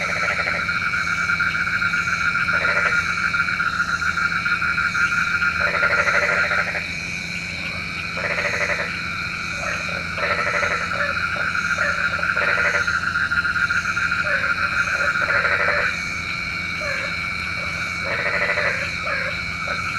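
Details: Night-time frogs, said to call for rain: frequent, uneven bursts of pulsed croaking with a few bleat-like notes, set over a steady ringing chorus.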